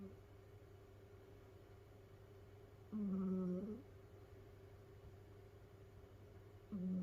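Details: A sleeping pet cat snoring in a quiet room: one clear, humming, nasal snore lasting nearly a second, then a pause and the start of the next, with a faint electrical hum beneath.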